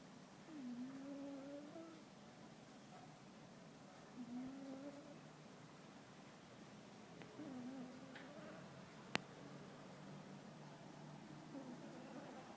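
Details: Muffin, a pet cat, snoring while asleep: soft whistled tones ride on each breath, returning about every three to four seconds over a quiet hiss, with one sharp click near the end.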